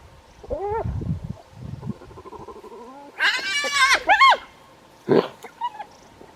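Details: Wild spotted hyenas on safari, on a cool, windy day, squabble with harsh, rising whines and giggling yelps, quarrelling over leftovers possibly from a leopard kill.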